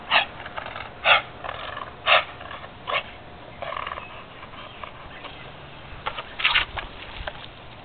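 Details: A bulldog playing with a garden hose gives short barks roughly once a second, four sharp bursts early then a looser, softer run and a final double bark, over steady spraying water hiss.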